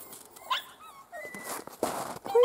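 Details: Miniature Schnauzer puppies out briefly in crunchy snow give short, high, squeaky whines and whimpers, several rising or level and closely spaced, with scuffling and handling noises between them.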